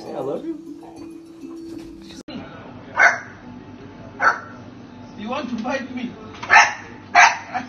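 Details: Chihuahua in a funny pet compilation giving sharp, high yappy barks, several spaced one to two seconds apart, the last two coming in quick succession, over a background of voices and room noise.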